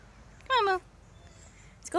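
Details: Domestic cat, filmed in July 2016, reluctant to go for a walk, gives one short, falling, harmonic-rich meow while being coaxed; a quiet background hiss, then a brief higher sound at the end.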